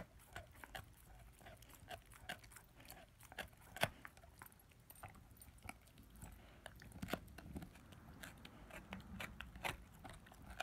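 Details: Ten-month-old German Shepherd/Labrador puppy gnawing his first bone indoors: irregular sharp crunches and clicks scattered through the clip, with soft rustling between bites.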